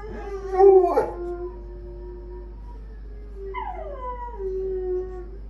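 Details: Household dogs howl in two drawn-out tonal notes, the first steady and low after a sharp onset, the second starting higher and gliding downward.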